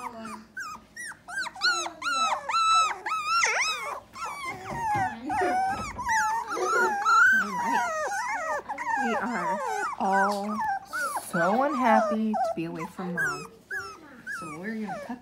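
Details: A litter of Dachshund pups, three weeks old and unhappy to be away from their mother, cry nonstop: dense overlapping high whimpers and squeals, wobbling up and down in pitch, with a few lower grumbling notes.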